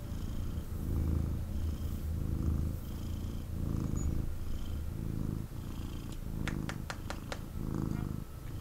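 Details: Male kitten purring intensely while picked up and cuddled by its owner: a steady low rumble swelling and fading with each breath, with a quick run of sharp clicks near the end.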